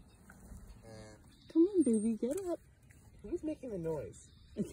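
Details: Jersey cow named Emma during labor on the evening before her due date, giving drawn-out wavering moos, two long calls about a second each with gliding pitch, in a quiet indoor space.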